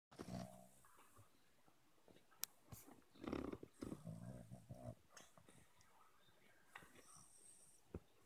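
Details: A Boston Terrier being woken up gives low, throaty grumbles and groans in short bursts.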